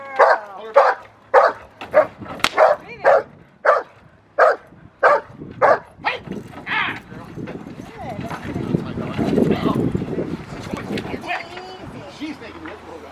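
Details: Protection work with Rottweiler Magda vd Fehn Kolonie, BH: a fast run of loud, evenly spaced barks for six seconds, then broad scuffling noise and human voices take over.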